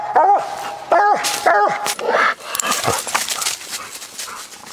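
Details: Walker coonhound named Copper, a tree dog on a coon hunt, giving three loud, short harmonic barks that drop in pitch, followed by rustling and mixed background noise; the recording is old and of poor quality.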